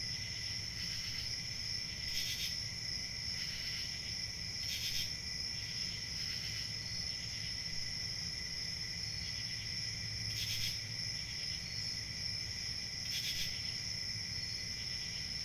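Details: Crickets chirping as a dense, constant high-pitched trill with a lower accompanying band. Louder pulses break through irregularly, clustering around two to seven seconds and again near ten and thirteen seconds, above a low steady hum.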